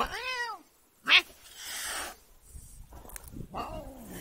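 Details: Irritated pet cat opens with a short, bent meow, followed by a sharp thump, a burst of rustling noise, and a fainter, lower drawn-out meow near the end.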